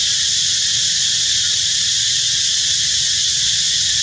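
A cicada sings a loud, steady, high-pitched buzz that holds without a break.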